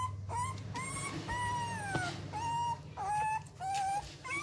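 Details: Eleven-day-old Rottweiler pups at Gervi Kennel, hungry before feeding and needing extra milk because their mother lacks enough; clear, drawn-out whines, some falling and some level, repeated about every half second with brief gaps, over a low hum.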